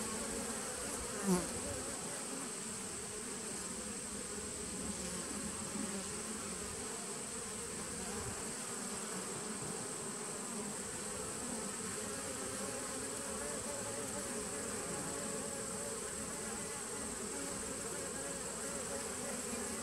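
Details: Honey bees humming in a nucleus colony started in 2017, recorded on 19 September 2018: a dense, steady buzz with bands low in pitch, continuous throughout, with a faint high electronic whine above and one brief knock early on.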